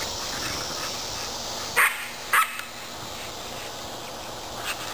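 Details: Olde English Bulldogges at play in a yard: two brief, loud barks roughly half a second apart, then a fainter one later, against a steady background hiss.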